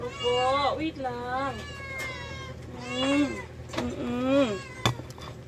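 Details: Rescued cats at mealtime give loud, drawn-out meows that rise and then fall, one cat answering another over a low background hum.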